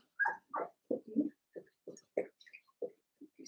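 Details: Blenheim Cavalier King Charles Spaniel puppies, seven weeks old, in an indoor puppy pen in a litter of five. Short yelping yips, some higher and some lower, repeat roughly once a second in an uneven run, with quiet gaps between.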